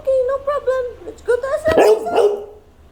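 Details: A female Labrador at home, vocalizing out of boredom: a run of drawn-out, whiny tonal notes rising and falling, swelling into a louder wavering howl-like cry near the end.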